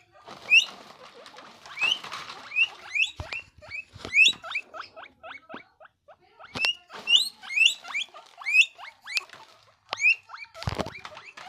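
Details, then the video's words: Loud, happy guinea pig squealing in quick series of short upward-sweeping whistly squeaks, sometimes doubled, broken by brief pauses and scattered clicking taps, one louder crackle near the end. "Guinea pig **Loud Noise** Happy reaction"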